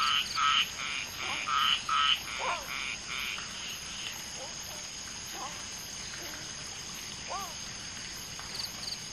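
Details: Common tree frogs (Polypedates leucomystax) mating, one female laying eggs with two males fertilizing them; loud rapid clacking pulses in the first few seconds, then softer scattered calls and short upward chirps, with an insect hiss high above throughout.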